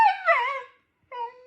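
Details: Husky Mate gives a short wavering howl that rises and dips over half a second. After a pause comes a softer steady note while its owner coaxes it to come.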